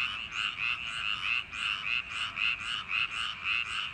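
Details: Frogs of summer-night paddy fields croak in chorus: rough, raspy pulses almost twice per second, loud and unbroken, several callers overlapping in an uneven throb.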